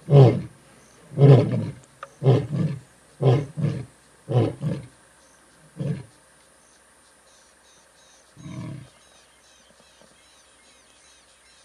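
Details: Two dominant Skorro pride male lions in the Timbavati, South Africa, roar from a termite mound in a deep, rumbling series of grunts that grow shorter and fade, advertising territory and whereabouts to rivals and coalition partners.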